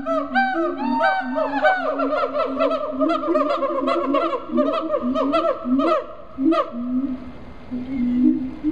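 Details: Captive siamangs in a South Carolina zoo give a dense loud chorus of rapid rising barks and wavering shrieks over pulsing low booms, the shrieks thinning out after six seconds while the booming continues.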